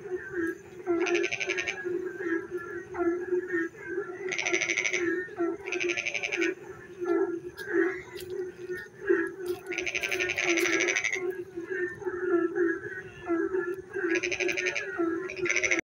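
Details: On a dark, rainy night frogs keep up a continuous low droning chorus, broken every few seconds by harsh, rapidly pulsed rattling bursts lasting roughly half a second to a second, some overlapping.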